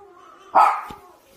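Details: Maltese dog barking at a baby seen on a screen: one sharp, loud bark near the middle, with quiet background hum before and after.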